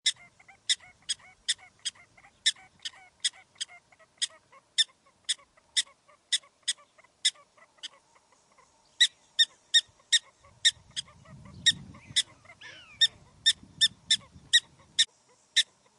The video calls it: Prairie Dog Sound Effect in HD Quality